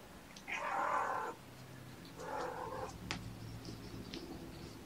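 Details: Mother cat Gamora, mother of five kittens born April 14, calling the babysitter on the morning of 2018-06-06: two drawn-out harmonic meows, the first loud and about a second long, the second softer, then low background noise and faint clicks.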